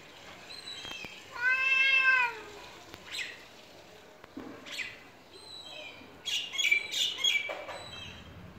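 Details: Domestic cat at a house during a territory dispute between an aggressive pet cat and a stray cat; one loud drawn-out meow that bends downward at its end, followed by faint high chirps and sharp clicks in the background.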